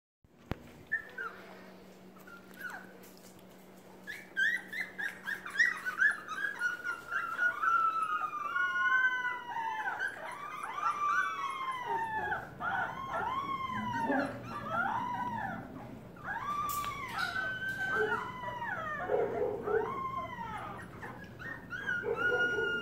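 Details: Several hungry puppies in a pen, with their mother close by, calling to tell her they are starving; overlapping high, arched whines and yelps, rising then falling, repeated rapidly and growing louder and busier.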